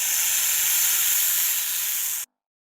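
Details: Snake hissing, played in a classroom listening lesson on animal sounds: a steady, high, airy hiss held for a little over two seconds, then cut off abruptly.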